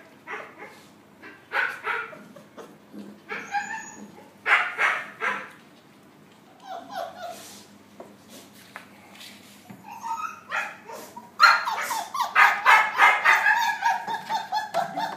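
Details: Several puppies interacting, giving rapid high yips, whines and short barks in irregular bursts that become denser and more continuous toward the end.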